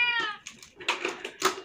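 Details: Hungry, thirsty cat suffering badly from scabies, crying for help; one short clear meow opens, followed by clattering and soft knocking sounds.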